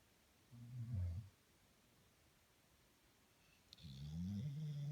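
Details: A pet dog snores while asleep indoors: two low, rumbling snorts, one short and one longer and drawn out, with quiet stillness between them.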